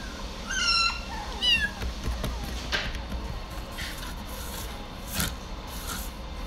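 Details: A Maine Coon cat in a pet shop in Kawanishi gives two high, thin meows in quick succession, followed by faint clicks and room noise.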